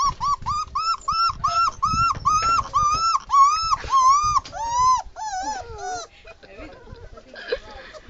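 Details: Crying puppy, one of a litter of five, not used to the new spot built for the puppies; steady arched whines repeated about twice a second, then wavering, broken cries trailing off into quieter whimpers and background noise.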